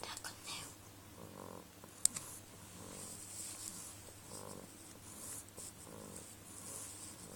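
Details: Choobie, a sleeping Beagle, snoring softly indoors: breathy, hissing snores come in a slow rhythm about every second and a half over a low steady hum, with one sharp click early on.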